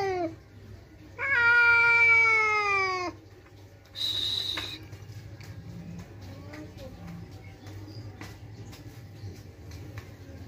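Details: House cat Kiki, angry whenever another cat comes to the house, lets out a loud drawn-out yowl lasting about two seconds, slightly falling, followed by a short harsh hiss-like burst, then quiet clicks and low room hum.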